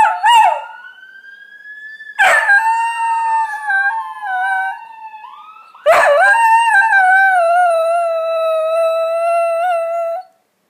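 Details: Whippet greyhound howling in reaction to a police siren: three drawn-out howls, each opening with a sharp burst and then sliding into a long wavering tone, the last held steadily for about four seconds before cutting off.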